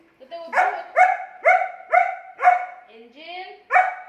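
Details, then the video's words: Angel, a German Shepherd dog, arguing with its owner: a run of short, high, ringing yelping barks about every half second, broken near the end by a softer rising whine before a final bark. "Dog Arguing With Owner"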